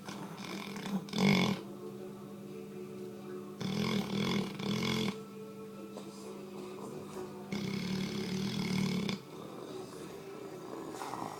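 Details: Sleeping Labrador Retriever named Hogan, called the loudest lab ever, snoring in three rough, rattling bursts about every three to four seconds, with a steady low hum underneath throughout.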